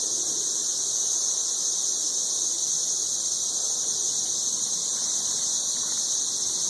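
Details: Very loud chorus of 13-year periodical cicadas in Nashville, Tennessee: a steady, unbroken high-pitched buzzing whine that holds at the same level throughout, with no breaks or pulses.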